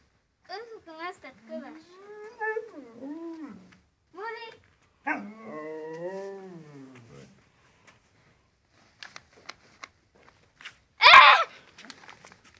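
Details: Husky dog Molly produces a string of swooping, wavering yowls, some arching up and down, then a long sliding howl; afterwards a few sharp clicks and a loud noisy burst.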